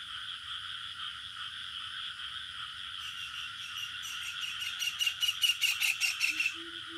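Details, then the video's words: Crickets in a village setting at night-like ambience: steady layered high trilling bands throughout, joined after three seconds by a rapid pulsed chirping series growing louder near the end, with a brief low tone at the close. "Bunyi Cengkerik Katak Burung Suasana Kampung"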